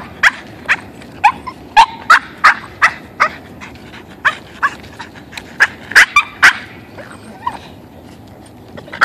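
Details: A pet Boston terrier, thrilled to be walking, keeps up irregular sharp yelps and squeaky whines, some doubled, with short gaps between bursts, over faint background noise.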